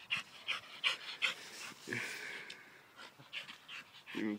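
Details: Dog named Major, jumping up a tree, panting in quick rhythmic breathy bursts, about three per second, with a person's voice calling to him.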